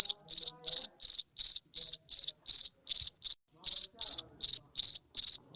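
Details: High, shrill chirps from a garden cricket, each a quick cluster of pulses repeated at a steady clip, with one brief gap near the middle.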